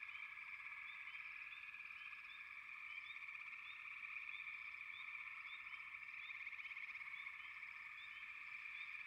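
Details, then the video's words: Frog chorus: a steady, dense droning hum with many overlapping callers, topped by short, bright, upward-flicking chirps repeated several times a second throughout. "Frogs, лягушки"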